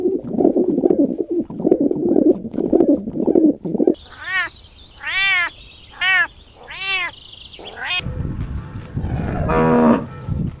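Kittens give a run of thin, high meows, each rising and then falling, among rougher low sounds.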